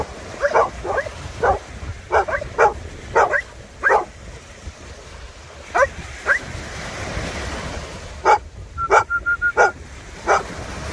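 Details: Maremmano-Abruzzese Sheepdog playing with a Golden Retriever by the Black Sea: a string of short, sharp play barks in irregular bursts, some doubled, with a brief steady whistle-like tone near the end over constant surf noise.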